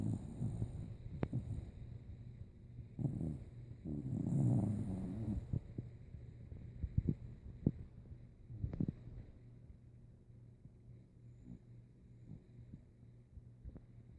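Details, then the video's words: Rico, an old dog asleep, snoring like a saw: low, rough rumbling breaths with one louder drawn-out snore near the middle, the rest quieter, irregular snorts and soft clicks indoors. "Sleepy snoring Rico"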